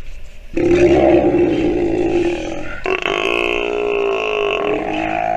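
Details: A nursing sea lion pup gives a long, harmonic bleating call that jumps suddenly to a higher, brighter tone.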